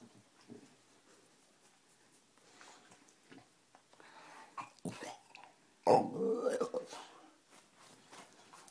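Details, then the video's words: Pet dog in a 'talking' style, said to say 'I love you' to get its back scratched, in a small indoor room; one drawn-out, moaning, voice-like utterance about a second long after quiet rustling and a person's soft prompting. "talking dog talks-I love you"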